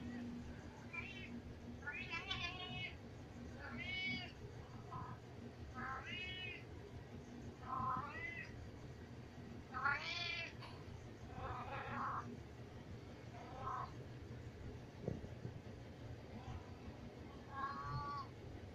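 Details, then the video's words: Insistent house cat wanting to go upstairs, yelling repeatedly: a rapid string of short, varied meows, some rising and others falling, roughly one every second, with faint speech and room noise underneath. "Cat Crying a Lot"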